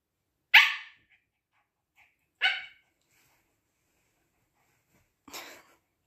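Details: Husky puppy biting and bothering an older Siberian Husky throughout the morning; three short, bright, piercing bark-yelps about two seconds apart, the last one rougher and quieter, with silence between.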